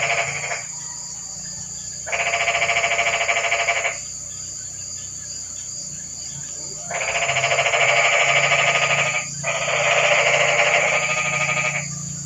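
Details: On a rainy night, frogs fill the quiet with long, grating, pulsed croaks. Bursts of about two seconds come three or four times, separated by short silences, over a constant low hum.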